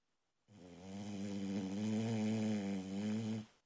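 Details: Loud snore from a sleeping female Boxer puppy: a sustained, vibrating low drone of about three seconds with a slightly wavering buzz, starting and stopping sharply.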